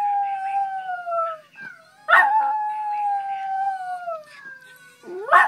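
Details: Sustained wavering howls from Teddy the West Highland White Terrier at morning wake-up, set off by hearing his own old recording; a steady falling note, a brief gap, then a louder yelp-started howl and another rising at the end.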